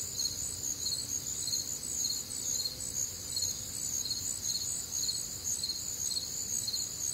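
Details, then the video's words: Many crickets calling together through a humid Midwestern summer night, their bright, piercing chirps repeating about twice per second in overlapping layers above a quiet low hum. "Night Time Cricket Sounds"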